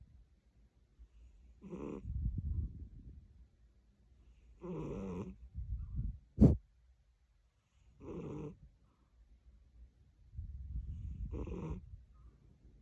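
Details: Tired British Shorthair cat snoring: soft, low rumbling breaths alternate with brief, rougher nasal snores roughly every three seconds, plus one sharp click midway.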